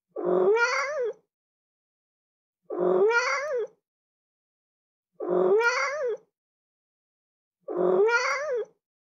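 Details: Pet cat repeating the same plaintive meow four times at a steady pace of about one every two and a half seconds. Each call has a nasal, rising-then-falling tone, and the gaps are silent.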